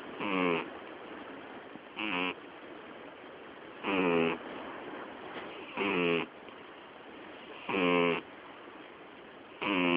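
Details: Sleeping female cat named Miyabi, nearly twelve years old, snoring loudly enough to drown out the TV; six short, rasping, harmonic-rich snores come at a steady rhythm of roughly one every two seconds.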